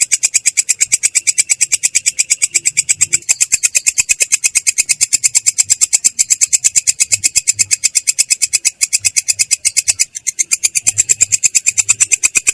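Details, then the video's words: Belalang kecek, a katydid, delivers its ngerol rolling song, clear but coarse in tone: a long unbroken train of rasping pulses, roughly seven a second, with a couple of brief dips in the rhythm. "belalang kecek ngerol!!! suara jernih kasar"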